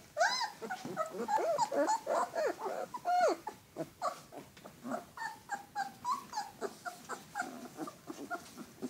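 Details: Alaskan Malamute pups indoors giving a busy run of high, wavering whimpers and yelps, several voices overlapping, many short bursts in quick succession with a few longer whining tones.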